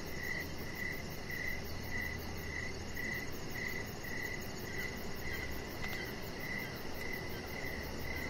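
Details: Evening crickets near an outdoor deck, giving high, ringing chirps in quick even pulses, roughly two per second, repeated steadily throughout, with a soft low rumble of background noise underneath.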